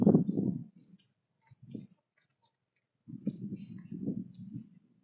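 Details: Early-morning breakfast on a fall woodland trail as a whitetail doe and fawn eat corn: dull crunching in two longer bursts separated by a short quiet gap, with brief softer chews between.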